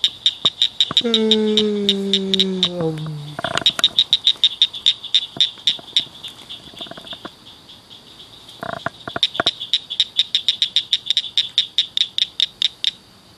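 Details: Several frogs at night in a ditch and culvert chirp loudly in rapid high clicks, several per second, continuing throughout. A long, low, falling whine sounds near the start, and a few soft knocks are heard midway.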